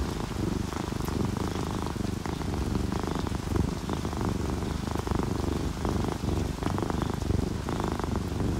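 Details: Relaxed domestic cat, an orange tabby or calico, purring while sleeping; a low, steady rumbling drone with faint breath pulses runs throughout, mixed with a continuous patter of rain and dripping raindrops.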